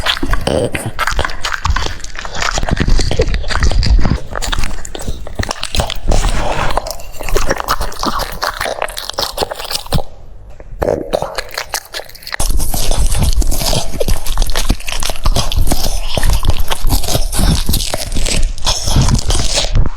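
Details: French Bulldog eating cucumbers, crunching in dense, rapid, irregular bites at nearly four per second. A softer, quieter stretch comes around ten to twelve seconds before the loud crunching resumes.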